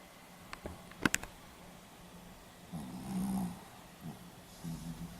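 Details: Pomeranian asleep, recorded 4 November 2015 in Hiroshima: a few clicks and knocks, then a rough buzzing snore and softer breathy snores repeating every second or so.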